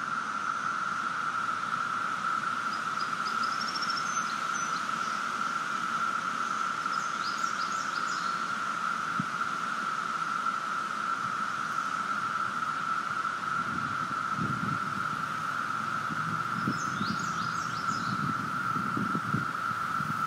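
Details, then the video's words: 17-year periodical cicadas of Brood V fill the air with a steady, unbroken droning chorus that holds one pitch throughout. "Song of the 17 year Cicadas"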